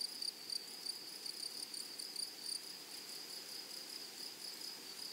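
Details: Grasshoppers in a flowering meadow hold a continuous high ringing note broken by soft, rapid pulses, a few stronger chirps standing out at the start, with a gentle background hush.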